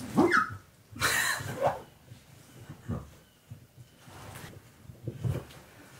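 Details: Husky indoors searching for its owner hidden under his beanbag, giving two short harmonic whining vocalisations that sweep upward, followed by faint rustling and a person's voice in the room.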